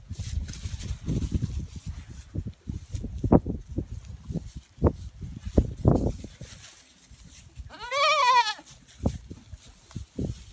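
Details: Female pygmy goat at a petting zoo, playfully hopping onto and riding sheep; one wavering, nasal bleat lasting under a second near the end, set among repeated dull thumps and scuffling of hooves.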